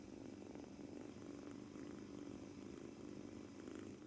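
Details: Male British Shorthair kitten aged two months purrs nonstop while kneading on its first day after arriving home, perhaps tense: an even, throaty low drone with a fine rapid pulse and no other voices.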